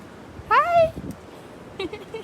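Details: One of a pack of dogs out for playtime in the yard on a very windy day gives a single drawn-out, tonal whine, about half a second long and sliding slightly downward. Soft voices follow as someone greets the dog.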